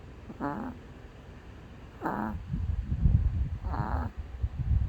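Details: Male dog asleep and snoring, three short nasal snores with falling tails about every one and a half seconds, over heavy low rumbling and rustling nearby.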